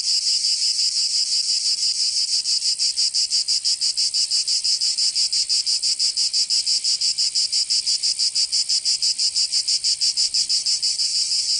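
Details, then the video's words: Cicadas in Provence, southern France, during summer: a continuous high-pitched rasping buzz with fast, very regular pulsing near three beats per second, sustained unbroken the whole way through. "Canto Cigarra 🦗 [ Escuchar les cigarras en verano 10 H]"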